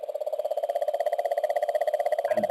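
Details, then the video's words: A cane toad, an invasive species in Australia, gives a steady, low purring trill of rapid pulses that runs on without a break, recorded by an Australian acoustic sensor network. "I'll play that. This is a toad call."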